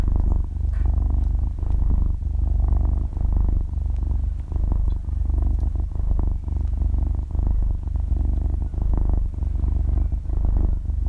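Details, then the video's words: Purring half-year-old kitten dozing off and kneading in its sleep, recorded up close in stereo without speech or music; an even, buzzing rumble with gentle breath-paced swells about every one and a half seconds. "超萌貓咪睡著睡著就呼嚕大爆發｜翻肚＋伸爪＋夢到吃飯打呼｜Zero Talking Pure Purring"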